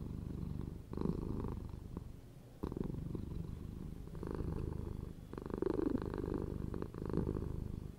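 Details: Purring house cat, continuous deep vibrating rumble rising and falling with the breath, strong phases recurring roughly every one to two seconds across eight seconds, no other sounds.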